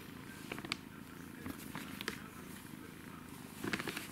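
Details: Kitten purring while playing, a low steady rumbling hum running throughout, broken by several short scratchy clicks and taps from play.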